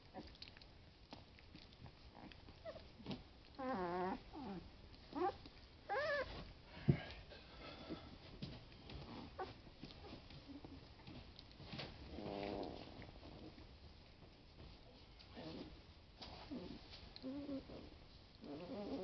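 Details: Boston Lab puppies, 20 days old, playing indoors; short harmonic growls and squeaky whines come in bursts around four, six and twelve seconds, with soft rustling and thumps between them.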